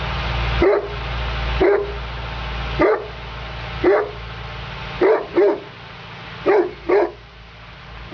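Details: Female Neapolitan Mastiff working as a guard dog; deep, single barks spaced about a second apart, some in quick pairs, over a steady low hum.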